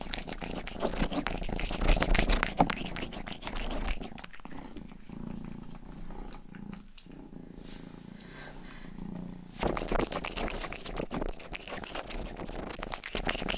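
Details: The youngest pet cat, Rangi, purrs while grooming ears indoors. Loud scratchy licking opens and closes the section, and between them there is a calmer interval of soft, regular purring with a pulsing, low hum.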